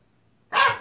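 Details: French Bulldog named Ttalgi (Strawberry), indoors at home, struggling and afraid to come down a two-step sofa staircase, lets out one short, sharp, bright bark after half a second of near silence in a small room.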